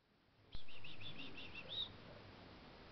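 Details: Pet kakariki chattering to its owner, making little noises that are said to mean a demand for snacks; a sudden thump, then a quick run of about seven short chirps ending in a sharper, higher note.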